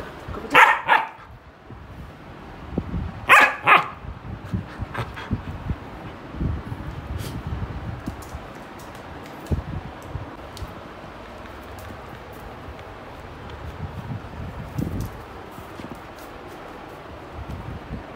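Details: German Shepherd dog playing with a bed: two sharp, loud barks close together near the start, a third pair about three seconds later, then quieter rustling, thumps and scuffling of play with no further barking.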